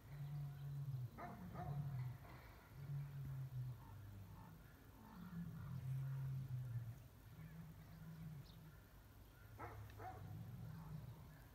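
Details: Captive male lion in spring chasing rival lions from his mate with a menacing warning: long, low, droning growls rolling out in overlapping waves, a few sharp knocks between them and steady background hiss.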